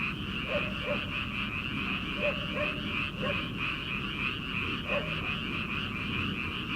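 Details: Early-summer paddy-field frogs before rice planting: a continuous high pulsing chorus fills the background while short, deeper croaks pop out in pairs roughly every second or two.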